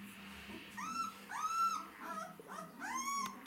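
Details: White Swiss Shepherd dogs, said to be hungry, whimpering: three clear, arched, high-pitched whines spaced about a second apart over a faint background hum.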